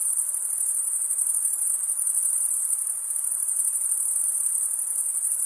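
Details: Nocturnal insects keep up a continuous, piercing high trill with a subtle flutter, level throughout, against a soft background hiss.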